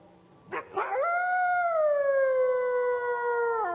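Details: A gray wolf (Canis lupus) in a forest gives a long, steady howl that slowly falls in pitch before breaking off.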